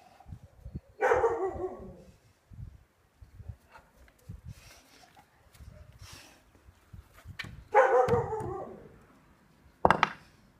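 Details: Neapolitan Mastiff during training with wooden dumbbells, giving three loud, deep barks spaced several seconds apart, with soft knocking and movement noises between them.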